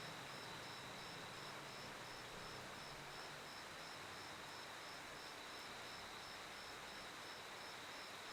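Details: Steady high cricket chirps, short even pulses about four per second above a continuous ringing tone, with a soft rumble of passing traffic in the background.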